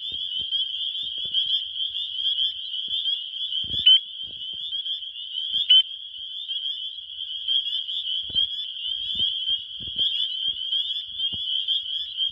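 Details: A dense spring chorus of male spring peepers in Wisconsin, countless fast, high piping peeps calling to attract females and merging into one shrill, ringing wall of sound.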